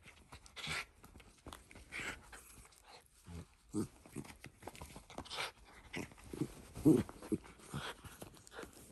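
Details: Shiba Inu dog playing with a glove it brought to its family, attacking with fangs and front paws indoors; short harsh growl-like bursts at irregular intervals in a small room, with rustling between them.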